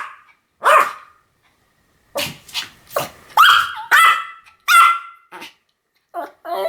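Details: Pomeranian barking: sharp, high yapping barks with bright harmonic bands, some in quick pairs, separated by short silences, ending with a cluster of higher yips.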